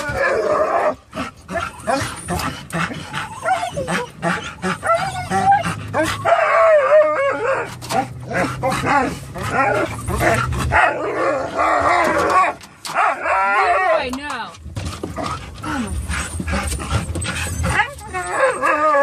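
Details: Excited dogs in a moving car on the way to PetSmart: Jack, a Norwegian Elkhound mix, whines and howls, setting off Leroy, a Labrador mix, and Roxy, a Rat Terrier; rapid overlapping barks, yips and sliding whines over road rumble and occasional speech.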